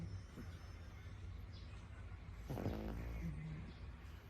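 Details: Pug puppy named Warabi snoring during a daytime nap, small but snoring already; low rumbling breaths with a short raspy, pulsed snore burst in the second half over a quiet room hum.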